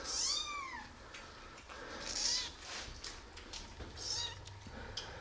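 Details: Five street kittens, 11 days old, born to the cat Bagheera, on the day their eyes opened; three high-pitched, slightly falling mews roughly two seconds apart, with a little rustling between them.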